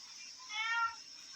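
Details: A plump domestic cat in a kitchen gives a single clear, tonal meow against a steady background hiss, calling after smelling fish being washed and refusing to leave the room.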